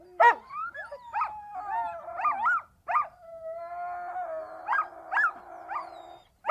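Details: Siberian Husky producing long, sliding howls that rise and fall, broken by short yelping notes and a sharp bark at the start and end.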